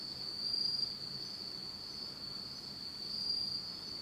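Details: A steady, high, shimmering trill of autumn insects rings on without pause in total darkness at night in Japan.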